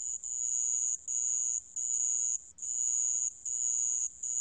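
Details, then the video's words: High-pitched sand cricket trill, steady and ringing, running in bursts of about three-quarters of a second separated by short gaps, over a faint low background hum. "모래방울벌레, 여러번 듣기, 곤충소리"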